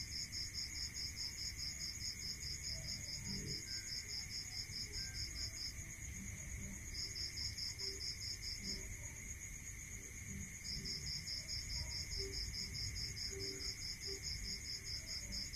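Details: Crickets at night in a rural area: rapid high pulsed chirp trains, beads of sound running for several seconds then pausing, over a steady shrill insect hum at two pitches and a low rumble.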